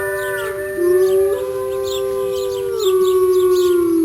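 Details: A mother wolf (female gray wolf) howls in long, steady, mournful notes that hold a low pitch and step down between phrases.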